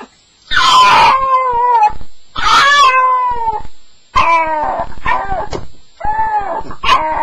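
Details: Staffordshire Bull Terrier crying through its first night indoors: drawn-out, falling whines, each starting high and sliding down. Five or six cries with short gaps, some breaking into quick yelps.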